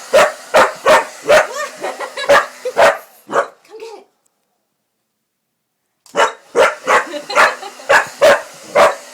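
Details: A female Pitbull-Corgi mix dog barks at a running hair dryer in sharp, repeated bursts, about two per second, with the dryer's steady low hum behind.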